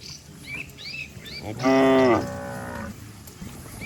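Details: Cattle in a lively herd descending a green village hill; a single strong, short moo follows a few light bird chirps, then quiet background.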